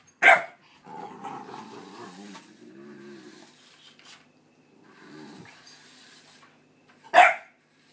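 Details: Pit bull puppy indoors, running from and barking at a light-up remote control car: two sharp, loud barks at the start and end, with a lower, rumbling growl and whine and some toy whirring between them.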